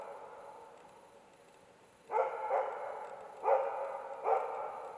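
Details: A Karelian Bear Dog in autumn gives sharp, ringing barks in an uneven series at two young adult bears during a hunt, barking about three hours, over half of it in darkness.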